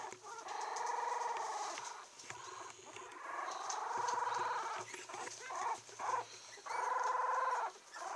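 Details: A 17-day-old female Yorkshire Terrier puppy, steel blue and tan, in Kochi, Japan, recorded December 7, gives long, thin, wavering whines, each drawn out for about a second.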